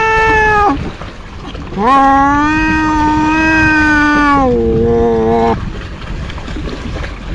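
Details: A cat caterwauls in drawn-out, harmonic-rich wails: a brief cry breaks off, then a long steady moaning note holds for nearly three seconds before sliding down into a lower, fading wail, over a faint background hiss.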